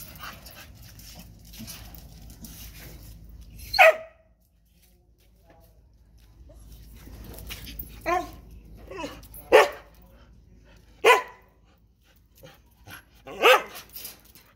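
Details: Female Phu Quoc Ridgeback dog close to giving birth gives about five short, sharp barks and yelps at uneven intervals, each a brief harmonic burst, with faint human voices and background rustle between them.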